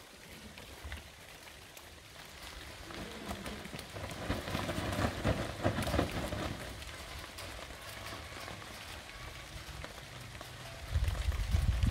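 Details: Dense rustling and pattering with scattered thumps and no clear animal voices.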